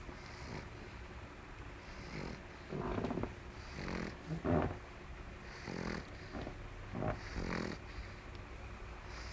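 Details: Fergie the pug, sleeping and recovering from mange, breathes with soft, irregular snuffling snores and faint wheezes, much quieter than full snoring, spaced every second or two.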